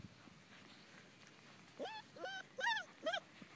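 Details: Litter of European Basset Hound puppies; quiet start, then four short whining yelps about every half second, each arching up and down, with faint background murmur.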